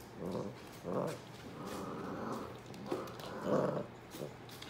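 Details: Basset hounds, European type, with puppies playing on and around an adult dog named Woodrow indoors; short rough growling bursts recur about every second or so, mid-pitched and noisy, with soft rustling between.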